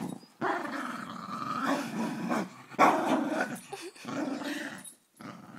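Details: Fox terrier indoors, growling in long low rumbling bursts broken by short pauses, with a person calling to the dog in the background.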